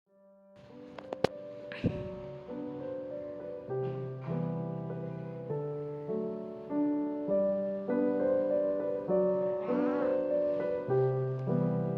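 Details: Gentle piano music with sustained chords and a melody fills the recording, with no animal sound.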